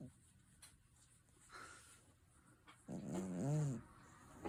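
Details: A domestic cat's snore: after a near-silent stretch, a single low, buzzy, slightly wavering breath lasting under a second, faint room hiss around it.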